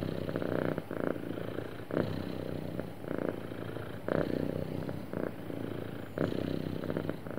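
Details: Contented cat purring with a soft, even rumble, each breath in and out making a slightly louder pulse roughly every one to two seconds, in a quiet room.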